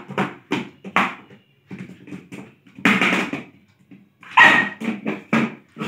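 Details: Lhasa Apso at play indoors in a small room, letting out a rapid run of short yipping barks, some soft and some loud, mixed with light thumping and bouncing noises.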